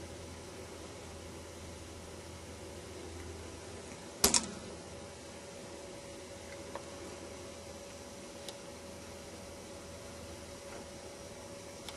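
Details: Steady indoor fan-like hum broken by one sharp knock and a few faint clicks, with no animal call.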